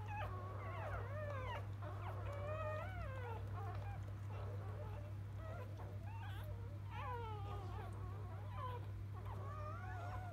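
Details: Squealing whimpers from freshly born field-type Labrador Retriever pups, mother Biscuit, with several wavering, bending cries and short high squeaks overlapping, all above a constant low droning hum.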